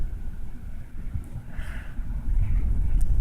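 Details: Steady low rumble like a passing vehicle or wind buffeting, with no animal voice heard.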